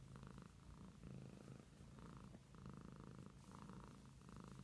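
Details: Short stretch of a pet cat's purr: a low, pulsing drone rising and falling in rhythmic breath cycles.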